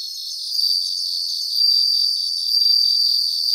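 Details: Bell crickets singing together in a grassland: high, ringing trills swell and fade in three waves, over a constant fast pulsing chirp from other insects. No low sounds are present.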